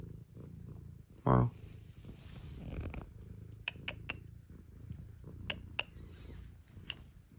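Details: Indoors in the early morning, house cats that come to wake their owner, Scottish folds and a British shorthair, give a soft, steady low purr. A person speaks briefly, and small sharp clicks sound now and then.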